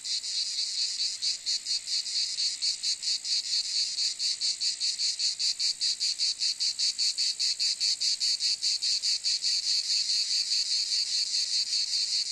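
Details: A cicada sings a bright, high-pitched buzzing trill, pulsing quickly at roughly two to three beats per second, unbroken across the whole stretch with no other animals or background noise.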